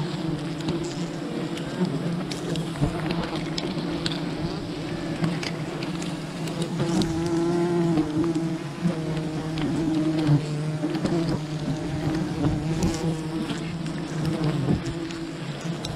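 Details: Wild bee colony disturbed during honey hunting, a dense continuous low hum with a second tone above it, rising and easing as individual bees pass close, broken by sharp clicks and handling noises.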